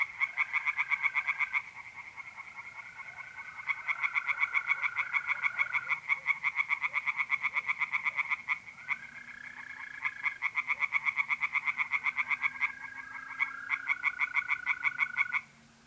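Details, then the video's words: Mid-April night at a north-eastern Italian pond: tree frogs keep up a stream of quick rattling pulses, several frogs overlapping. Long, smooth mole cricket trills and a faint low drone run through it, ending abruptly. "relaxing singing tree frogs in pond and trilling mole crickets by night"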